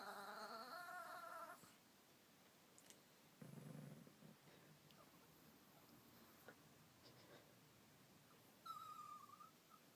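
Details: A Chihuahua, unhappy that another dog is hogging the bed, gives a wavering, bleating gurgle, then a low rumbling grumble, sounding oddly goat-like.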